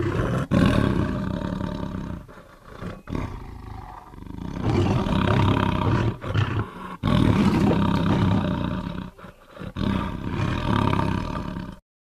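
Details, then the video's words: Long bouts of powerful tiger roaring, a dense low rumble with growling texture that swells and dips, broken by short quiet gaps, before cutting off abruptly at the end. "tiger sounds"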